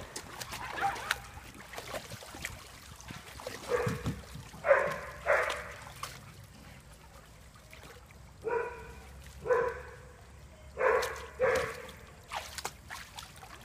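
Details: Dog barking in irregular bouts: a pair of loud barks, a pause of a few seconds, then three more barks at roughly one-second spacing, with faint trickling sound behind.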